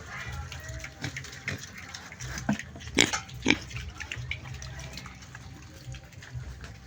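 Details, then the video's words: Two loud, abrupt pig grunts close together stand out from a steady noisy background, with a few softer grunts before and after. "Funny noise of piggy sound"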